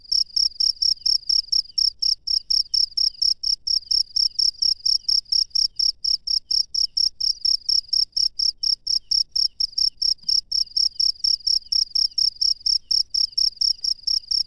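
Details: Wild cricket at night, recorded in the open: a steady train of high, shrill chirps, about four per second, unbroken for the whole stretch, with a faint low rumble underneath.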